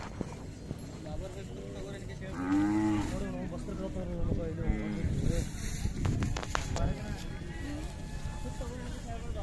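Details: Khillar cattle at the Athani livestock fair, Belagavi district, April 2024, where young bulls and big bulls are shown: one drawn-out, harmonic-rich low moo rises and falls for about a second amid crowd chatter, a man's voice and background bustle.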